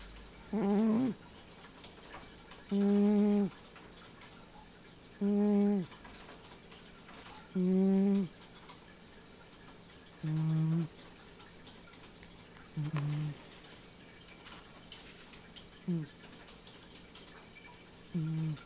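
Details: Domestic cat named Nino sleeping and dreaming indoors, giving low, tonal, buzzy snores in short bursts repeated about every two to three seconds, some rising slightly, with a quiet room background.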